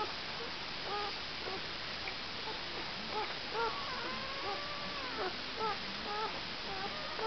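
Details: Irish Setter puppies two days old, from Jess's litter, letting out thin high squeaks and short chirping whimpers, scattered through the moment, with a longer drawn-out whine near the middle; a steady hiss underneath.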